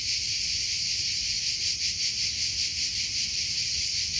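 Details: Cricket in a natural setting, producing a steady, high-pitched shrill trill that pulses gently about two to three times per second, with a faint low rumble underneath and no other animals.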